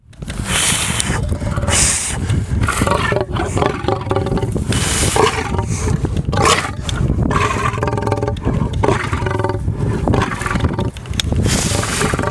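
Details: Angry male white lion filmed through a fence at a lion park; continuous loud, harsh, low growling and snarling bursts with rasping breaths throughout.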